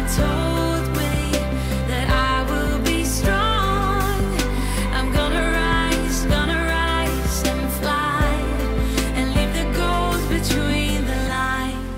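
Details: Only music is heard, with sustained chords, steady bass notes and a sung melody. No animal sound can be picked out.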